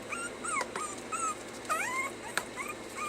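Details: Puppies being trained to stay whimper over and over: thin, high whines that bend up and then slide down. They overlap in quick succession, with sharp clicks in between. A person repeats a command nearby.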